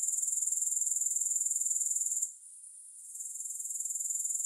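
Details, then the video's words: Grasshopper sound without music: a thin, high-pitched pulsing buzz, about four beats a second, drops out briefly near the middle, then returns softer and rebuilds to full strength. "Grass Hopper Sounds"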